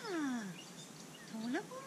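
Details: Australian Shepherd during a training session, giving a high whining glide that slides steadily downward, then after a pause a short upward-sweeping whine, in quiet outdoor surroundings.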